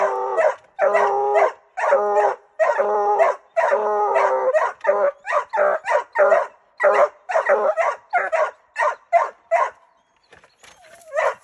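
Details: Treeing Walker Coonhound barking wildly: loud, hoarse, bawling barks in rapid irregular bursts, about two to three per second, ending in a pause and a brief whine.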